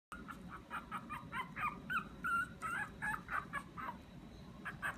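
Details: Small, round Pomeranian dog crying sweetly as it pleads for something; a quick series of short, thin whimpers bending up and down, about three per second, over a low indoor hum.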